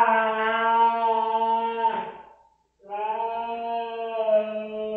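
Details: Domestic cat Rosetta protesting a spot-on flea pipette treatment: two long, drawn-out moaning yowls, the first lasting about two seconds. After a brief silence, a second steady, harmonically rich wail follows, low and eerie with slight wavering.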